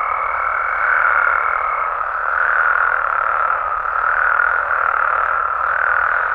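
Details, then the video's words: Night chorus of frogs and toads in Mexico: a dense, unbroken mid-pitched trilling wash that swells and eases every second or two, with a thin steady higher whine in the first two seconds. "Mexican Frogs & Toads Sounds"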